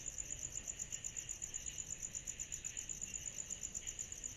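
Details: Cicadas calling on a summer night produce a bright, high, rapidly beating trill, about four pulses a second, steady and even throughout, with a faint buzzy layer below.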